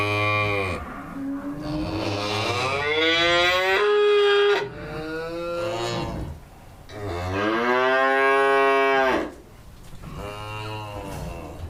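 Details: Cow on a farm mooing twice in long, drawn-out lowing calls, each several seconds long, with a rich harmonic tone that rises slightly then falls away; quiet pauses between calls.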